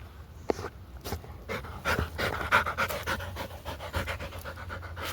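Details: Labrador Retriever at a dog park after zoomies and digging in a forest, panting in quick, rough breaths, about three to four per second, with rustling and footsteps around.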